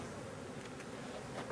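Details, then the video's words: Honey bees of a drone-laying hive, frames lifted for inspection of drone brood; a soft, steady broadband hum with faint clicks and handling noises. "Ruche bourdonneuse"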